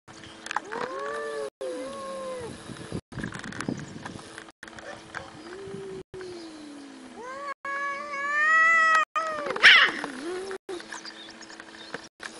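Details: A cat gives several drawn-out, tonal meows, some sliding downward, then a louder rising-and-falling mew near the end, over a steady background hum broken by short silent cuts.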